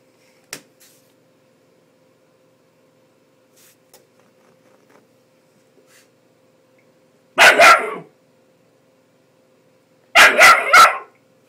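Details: A 10-week-old Bull Terrier puppy that does not like the hairdryer barks: a single sharp bark, then a quick burst of three high yappy barks, with faint household noises and a steady hum in between.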